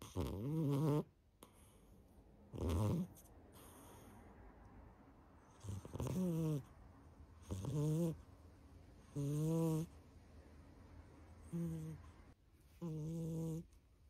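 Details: Pet cat asleep and snoring: about eight low, rough, nasal snores of around one second each, separated by quiet pauses of one to three seconds, in a hushed indoor room.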